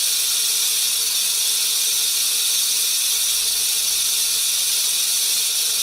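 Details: Rattlesnake, a venomous snake, shaking its rattle as a warning when threatened; a steady, unbroken high dry buzz holds evenly through the whole stretch with no other sounds.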